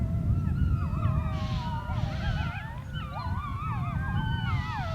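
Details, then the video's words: A group of wolves on the Sharr mountains in full chorus, many tangled wavering howls sliding up and down at once, some quavering and yelping, with low wind noise underneath throughout. "Ulurima e Ujqërve në Bjeshkët e Sharrit-Howling wolves on Sharr mountains"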